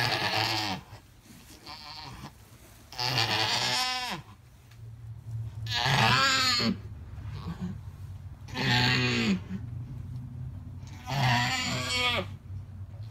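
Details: Alpine goat giving birth to triplet kids, bleating loudly in long wavering harmonic cries, five drawn-out bleats about every two to three seconds apart, with a low steady hum beneath.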